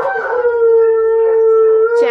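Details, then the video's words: Siberian Huskies indoors howling along with Tonka the Malamute playing on TV; one steady, level howl held for about two seconds with clear overtones, ending in a brief higher rising note. "Huskies howling with Tonka the Malamute!"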